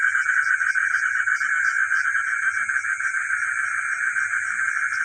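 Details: Frogs calling at night in a village, where geckos are also heard: a dense, continuous pulsing chorus at mid pitch, with a steady high shrill hum above and faint low rumbling beneath.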